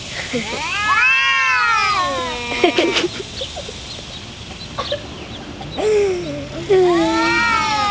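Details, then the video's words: Two domestic cats, including a black cat named Shadow, fighting and making weird, funny noises: a long arching yowl, a few sharp hiss-like bursts, then lower moaning howls resuming near the end. "CAT FIGHT"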